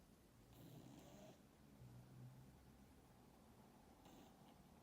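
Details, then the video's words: Kokos, a sleeping domestic cat, snoring: low, rough rumbling breaths that rise and fall steadily through a quiet room, with a couple of brief brighter hissy bursts near the start and end. "Кот кокос спит и храпит"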